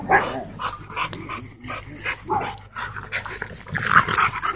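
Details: Two Siberian Huskies play fighting at a dog park, giving scattered short growls and yips in uneven bursts, with rustling and scuffling between calls.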